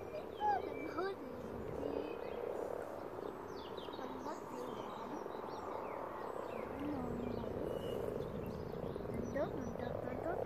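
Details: Dense chorus of more than a hundred common frogs spawning together in a pond, giving continuous overlapping low croaks and purrs for ten seconds, with scattered faint bird chirps over the top.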